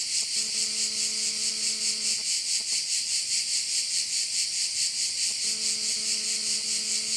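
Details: Shrill chorus of crickets over a bay on Korčula, Croatia, pulsing evenly about twice a second, with a low steady droning tone at the start and again near the end.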